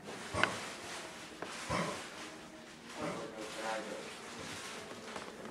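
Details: A dog coughs in harsh, breathy bursts: sharp hacks near the start and again shortly after, then a longer rasping spell in the middle and fainter coughs toward the end, over steady background hiss.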